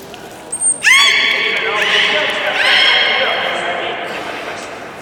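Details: Beluga during a public training session at Port of Nagoya Public Aquarium, 24 March 2018, 16:30 show: a brief high whistle, then a loud upswept, harmonic-rich squealing call held for seconds, with a second rising sweep layered midway.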